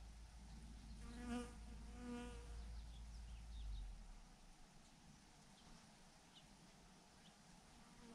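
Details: Honey bee swarm hanging on a branch, two brief close buzzing passes in the first seconds, then a softer, fainter background hum with wind.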